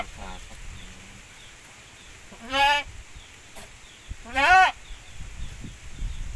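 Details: Goats from a Javanese goat and Boer cross breeding, kept on a farm: two loud, harmonic bleats a couple of seconds apart, each wavering briefly, with quieter murmurs and faint talk in between.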